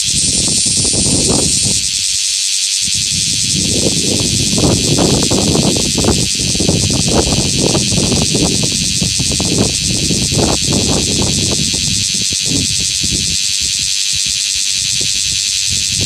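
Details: A male bear cicada in Osaka sings a loud, harsh, unbroken buzz that fills the air, calling beside the shed nymphal skin it emerged from.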